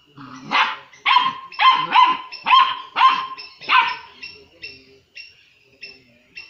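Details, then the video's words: Doberman puppy, five to six weeks old, angry and aggressive toward another pet dog, giving a run of about seven sharp, high yapping barks roughly every half second, then fading to softer squeaky yelps. "My Doberman Puppy aggressive time - 6 weeks old"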